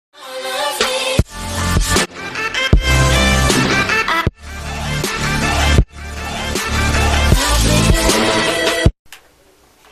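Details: Loud rhythmic pop music with heavy bass, cut by abrupt silent breaks, ends in near quiet, with no animal sound present.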